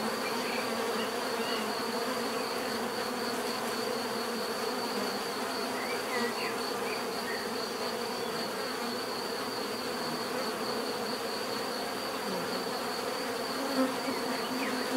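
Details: Bees buzzing in a dense, steady drone, with many overlapping hums forming a continuous layered band; faint short chirps of other creatures flicker above, and a thin high steady tone runs throughout.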